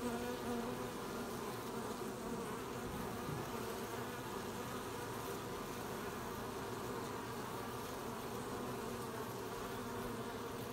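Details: Honey bees collecting honey at an apiary on 20 July 2020: a dense, continuous buzzing hum of many bees, steady throughout with layered low droning tones and no other clear sounds.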